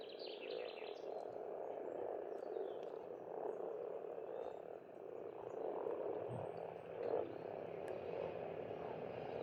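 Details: Steady low croaking of many frogs in spring at an Estonian pond, the chorus swelling and easing, with only faint bird notes at the start.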